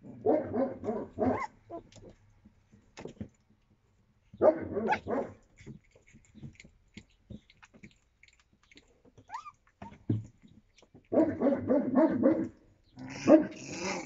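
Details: Yakutian Laika puppies, 25 days old, April 2023: rough, noisy clusters of yapping and growly vocal bursts in three main bouts, separated by quieter scuffling and a brief high squeak.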